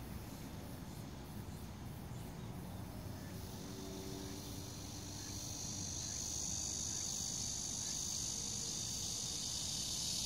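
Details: Cicada in summer at Bucheon Sosa Grand Park, Korea: a faint high buzz swells after about six seconds into a loud, continuous shrill drone, over a low rumbling background.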